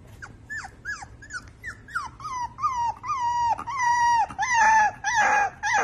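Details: {'caption': 'Young husky puppy howling: a run of short rising-falling yelps gives way to longer, steady wavering howls with bright harmonics, growing louder toward the end, ending in rougher, strained howls.'}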